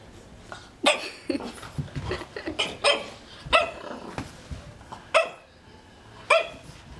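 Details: Baby Romeo, a French Bulldog puppy, barks at a magazine he is afraid of: about six sharp, bright barks spaced irregularly, each roughly a second apart, with quieter yips between them and faint background chatter.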